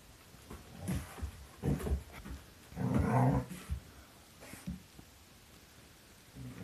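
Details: Mungle, a six-month-old Doberman cross Collie puppy with a pork treat, rumbles out low growls in several short bursts, the longest and loudest near the middle, with quiet gaps between.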